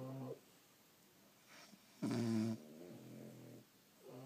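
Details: A French Bulldog snores in its sleep indoors: a brief rasp, a quiet gap, then a loud half-second snort fading into a softer harmonic breath, and another snore beginning.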